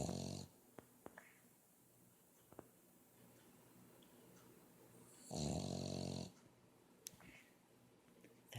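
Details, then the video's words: A Boston Terrier asleep indoors, snoring loudly: quiet breathing broken by a long, rough snore near the start and another around five to six seconds, with small clicks and rustles between. "Bullitt snoring"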